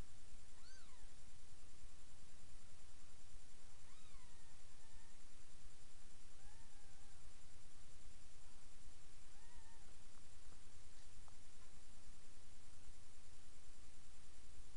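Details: Mother cat Miss Kitty with her seven kittens, almost three days old, feeding in a box indoors; several high, thin mews, some sliding downward, spaced a few seconds apart over constant low room hiss.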